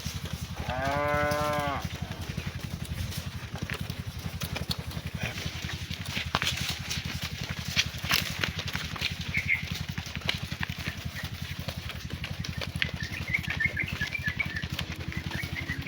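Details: Cow calling its friends while being herded back to the barn in the afternoon: one loud, drawn-out moo of about a second with rich stacked harmonics, followed by a long stretch of steady engine drone and scattered rustling.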